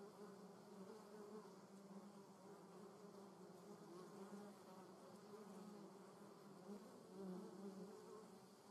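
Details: Low, continuous buzzing of German yellowjackets (Vespula germanica), the humming drone shifting slightly in pitch and growing a little louder toward the seventh second.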